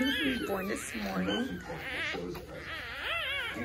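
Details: Hours-old newborn English Bulldog puppies, a litter of seven (3 females, 4 males), give thin, high whines that rise and fall in short wavering arcs.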